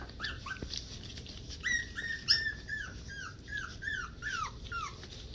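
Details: Havanese puppies recorded on 20 January 2020, giving a run of high, squeaky whimpers that each slide downward, about ten short cries in quick, uneven succession over five seconds, with faint room noise behind.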